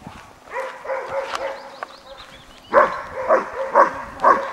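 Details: German Shepherd Horna during sleeve-bite training, biting the sleeve for the first time; a harsh, harmonic rasp of lower calls opens the recording, then four loud, sharp barks follow about half a second apart.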